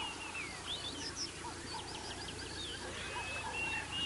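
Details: Dwarf mongooses at Naledi Cat-EYE, filmed by a live cam on 24 February 2023, give rapid, high-pitched chirps and twitters that overlap against a steady background hiss.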